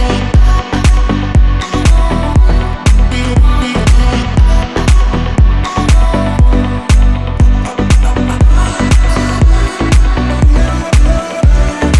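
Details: Loud electronic dance music with a steady, regular thumping beat fills the whole stretch.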